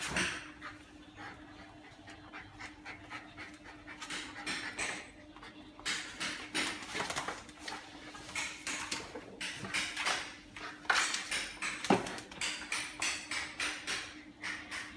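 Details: A Siberian Husky plays happily with a toy it snatched from another dog, panting in quick, breathy bursts that grow steadier and louder toward the end, with a few brief sharper noises mixed in.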